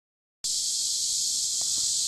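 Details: Cicadas singing by a river in warm summer: after a brief silence, a dense, steady high-pitched buzzing chorus switches on abruptly and holds without a break, with faint low rumble underneath.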